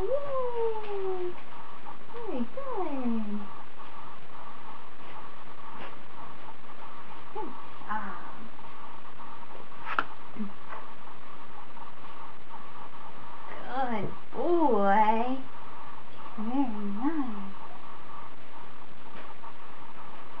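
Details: Twenty-eight-day-old Standard Poodle puppy Bond, a service dog in training on day four, whines in drawn-out falling cries, then a cluster of wavering whimpers midway and short yelps toward the end, against a constant low room hum.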